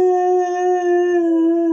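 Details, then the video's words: Domestic dog producing a flat, unwavering howl, loud and clear with strong overtones, steady for nearly two seconds without any fall in pitch. "TO "HOWL" WITH iT !!"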